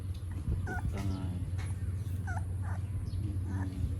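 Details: Puppies drinking milk in the morning in Siem Reap, Cambodia, give brief high squeaky whimpers, a few short rising-falling peeps spaced about a second apart, over a steady low rumbling hum.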